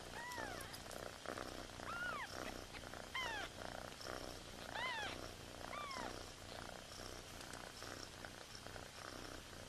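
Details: Newborn kittens crying while their mother is away: repeated high, arched mews, each rising then falling, around eight cries in ten seconds over a steady, low, pulsing background hum.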